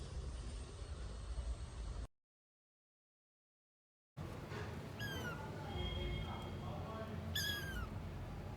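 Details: Abandoned kitten found freezing after two days in -11°C snow, rescued; short high meows with rising-falling harmonics cluster after a silent gap, over steady low background rumble.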